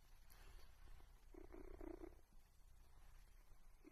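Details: A pet cat gives a brief low purring rumble lasting about a second, followed by quiet and the start of another soft purr at the very end.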